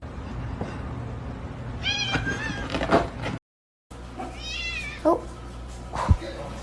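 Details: Pet cat meowing indoors: two drawn-out, wavering meows a couple of seconds apart, with a short break between them, a sharp knock and excited human voices around them.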